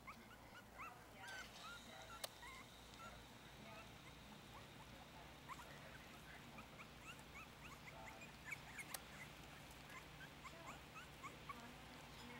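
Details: Four-week-old Yorkshire Terrier puppies (Lily, Bam Bam, Louie, Alexander and Willow) eat a mix of puppy milk and ground puppy food from a dish; many faint high squeaks and short whines come steadily throughout over soft background hiss.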